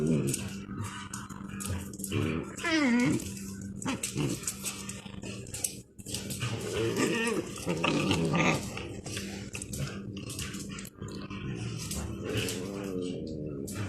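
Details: Dogs playing outside, with rising and falling whining yelps around the third second, low growling and scuffling, and a steady low hum throughout.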